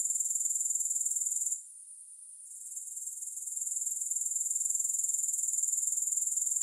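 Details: Grasshoppers in a relaxation recording with no music: a high, thin, steady pulsing trill that dips and fades for about a second before returning at full strength.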